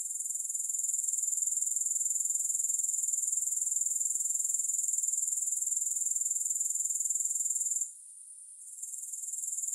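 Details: Grasshoppers singing with no music: a dense, very high-pitched shimmering chirr, pulsing rapidly and steadily, with a short hush near the eighth second before the trill resumes softly.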